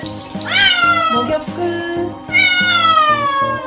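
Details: Cat during its first-ever bath wailing in two long siren-like screams, each rising sharply then sliding slowly downward, over steady rhythmic background music.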